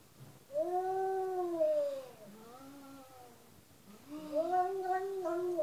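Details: Domestic cat giving a run of drawn-out meows, each a smooth rising-then-falling wail about a second long, with a quieter, shorter one between two louder calls; little else audible beyond faint room noise.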